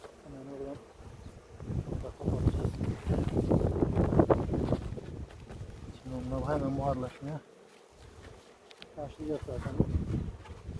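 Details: Colony of honey bees being checked for the queen after harvest in a Ceyhan village apiary; a swelling, continuous droning buzz dominates the middle seconds, broken at the start, around six seconds and near ten seconds by a man speaking.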